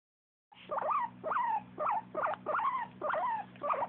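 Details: A pet dog making happy sounds: a quick series of short, whiny yelps, each arching up then sliding down in pitch, about two per second, over a low steady hum.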